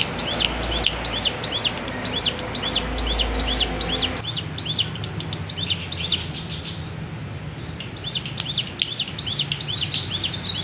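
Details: Wavy bren cigun cicada sound used for tutoring songbirds: steady run of high, sharply descending chirps repeated about twice a second, broken by a brief pause midway, with low background rumble.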